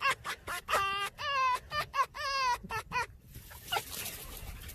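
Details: Red fox giving a human-like laughing sound: quick bursts of wavering, harmonic yelps and a few longer quavering notes for about three seconds, then fading into a soft hiss with one last faint yelp.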